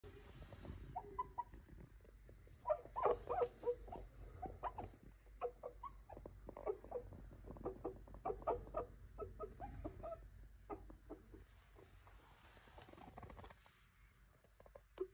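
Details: Lively female Toy Poodle puppy: soft, squeaky whimpers and short yips come in quick irregular bursts, fading toward the end amid quiet indoor noise.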